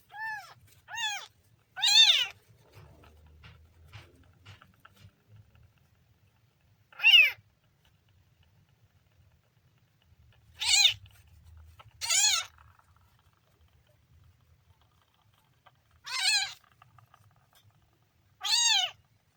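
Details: Kitten meowing in separate high, arched cries spaced a few seconds apart, some drawn out and strong, with quiet low rumbling between calls and otherwise near silence.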